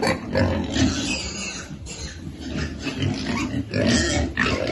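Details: Feeding piglets give shrill, rasping squeals in quick succession, broken by brief pauses and low grunts.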